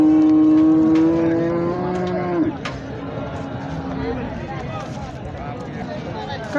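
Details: Holstein Friesian cow at the Sangola cattle market gives a loud, steady moo lasting over two seconds, dropping in pitch at its close, then a fainter low lowing trails off while Marathi market chatter continues underneath.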